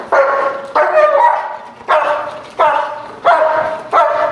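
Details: Protection-trained dog giving repeated deep, harsh barks, six strong barks over four seconds at an uneven rhythm, each with a sharp onset and a trailing rough tone.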